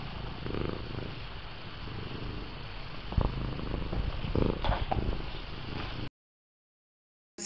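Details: Low continuous purr of Missy, a lynx point Himalayan cat, getting comfortable in a lap, a close rumbling drone that stops abruptly near the end.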